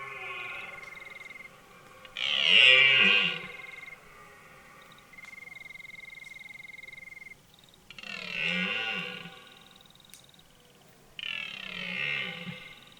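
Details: Red deer stag bellowing in a forest during the rut at the start of autumn: three loud, hoarse, powerful roars, near 2, 8 and 11 seconds, between quieter stretches with faint steady tones in the background.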